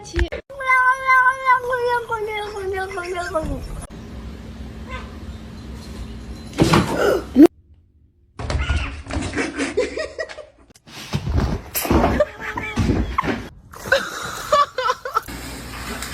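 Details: Pet cat's long, drawn-out meow lasting over three seconds, pitch easing gradually downward with rich overtones. Afterwards come thumps, clatter and people talking indoors.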